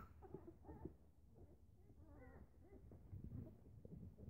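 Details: Eleven-day-old Newfoundland puppies at their morning feeding with their mother nearby, giving faint, short, wavering whimpers and squeaks, a brief higher cluster near the middle, over low rustling and shuffling in a small room.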